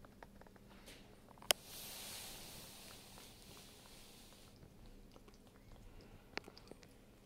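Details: Rosemary, a pet cat, eating her wet food at lunchtime indoors; soft wet chewing and squishing in a quiet small room, with a sharp click near the start and another later.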